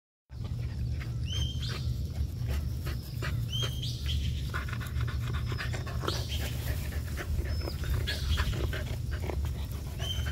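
An English Springer Spaniel pants in quick, breathy bursts over a low rumble, with small birds chirping behind.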